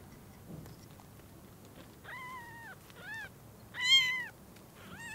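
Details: Newborn kittens whose eyes have just opened, with their mother cat seeing them for the first time: thin, high, arching meows with rich harmonics, four or five calls, loudest just before four seconds, over quiet room hiss.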